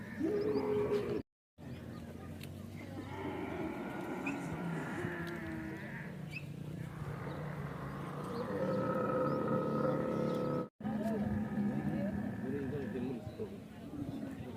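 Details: Heavy-breed camel at a camel market in the mating season, vocalising before mating: long, throaty, warbling groans with rough overtones, rising and falling over several seconds, broken by two short silent cuts, with crowd noise underneath.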